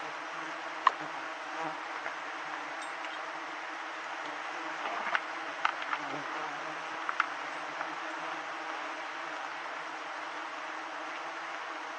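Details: Giant honey bees disturbed during a honey harvest in the fifth-month season: a constant, even hum of many wingbeats, with brief clicks and cracking sounds breaking through near the middle.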